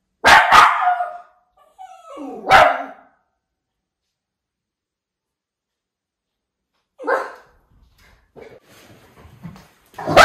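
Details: White Miniature Schnauzer brothers in Maine, August 2021, going out of control at a package delivery by a new driver: bursts of rapid sharp barks separated by several seconds of silence, with softer scuffling noises near the end.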